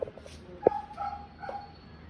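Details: Schnauzer whining to wake up the woman who cares for him, indoors: one short sharp yelp, then thin, steady high whimpers drawn out over about a second, with a low background hum.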